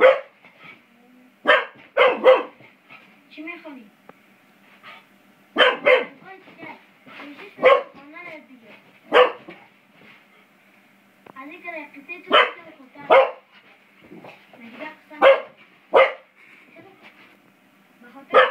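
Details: Beau, a five-month-old English Springer Spaniel, barks while playing with a door spring: sharp, loud barks come singly and in quick pairs at irregular gaps, with softer human voices murmuring between them.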